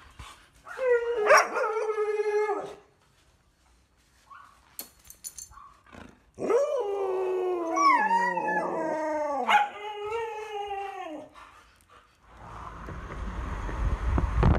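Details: Siberian Huskies at Candy's home out in a field for running exercise, giving long harmonic howls that rise then hold and waver, in several drawn-out bouts separated by short pauses, with a burst of wind-like noise at the end.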